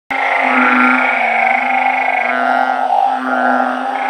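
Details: Blunt-headed burrowing frogs raised in a backyard organic garden, calling together at night: a dense, unbroken droning chorus of low, nasal moaning notes layered over one another with no gaps.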